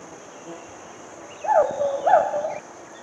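A hoolock gibbon gives two rising, hooting whoops about half a second apart over steady insect hum.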